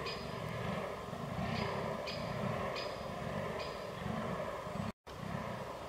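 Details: Fallow deer in rut, 22 October 2022, Canon R6 recording. Soft, low belching grunts repeat at an uneven pace, partly masked by background hum, with a few sharp clicks overhead and a brief dropout.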